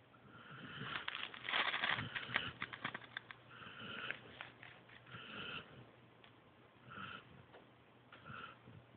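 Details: Joby, a sleeping pointer pup, snores in rough, breathy bursts that come quickly and unevenly, louder at first and then fading into softer snuffling puffs.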